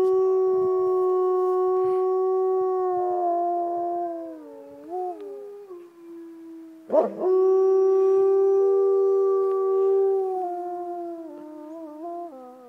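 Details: Gray wolves at a zoo in St. Paul howl together in long, steady, overlapping tones that waver and bend near the ends; the recordist guesses, unsure, that it is a territorial howl.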